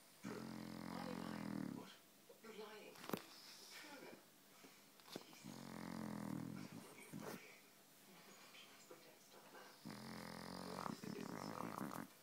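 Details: A dog snoring loudly: three long, rough, rasping snores come about every four to five seconds, each lasting one to two seconds, with quieter breathing between them.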